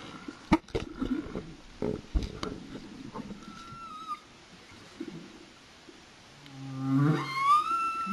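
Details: Humpback whale song recorded underwater off Réunion: low moans, clicks and a long rising whistled cry with harmonics.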